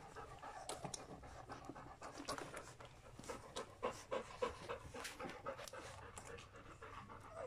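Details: Folie and Mayley's puppies, aged three weeks and two days, panting in a brisk run of soft breathy bursts, roughly three to four per second, uneven in strength, with no other clear sounds.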